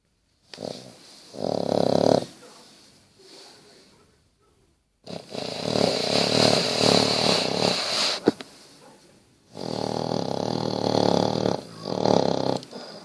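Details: Sleeping Basset Hound named Bertie snoring in a small room: long raspy breaths with a hissing edge, three loud drawn-out snores separated by short quiet pauses, one sharp click in the middle.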